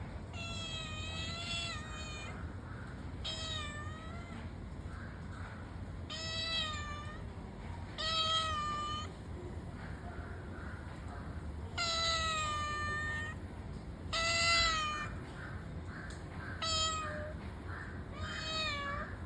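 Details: Cat meowing: about eight clear, drawn-out meows, each rising then falling, spaced unevenly a second or more apart, over a steady low rumbling background hum.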